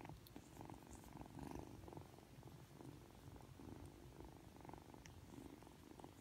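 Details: Purring from Aki, a Ragdoll kitten aged three months, who turns cuddly right after waking up. The continuous low rumble rises and falls with its breathing, and a few light scratchy sounds come through in a quiet room.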